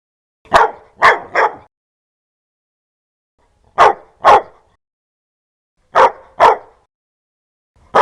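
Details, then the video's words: Dog barking fiercely and loudly, short harsh barks in bursts of two or three, pauses of one to two seconds between bursts, clean background. "Tiếng chó sủa kinh hoàng, to"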